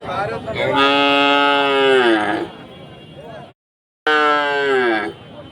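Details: Cows at a village market, five mooing together: a long harmonic-rich moo holding steady then sliding down over about two seconds, a brief silent cut, then another falling moo.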